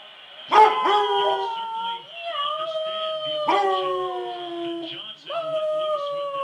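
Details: Basset Hound howling in response to someone meowing like a cat: long, mournful, sliding tones, several held notes falling slightly in pitch, with short breaks between howls.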